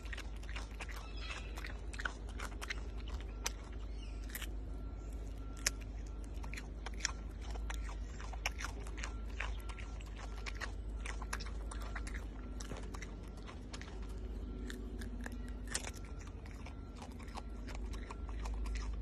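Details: Malayan tapir eating a carrot, steady crunching and biting throughout, dense sharp clicks and cracks from the carrot over a constant low hum.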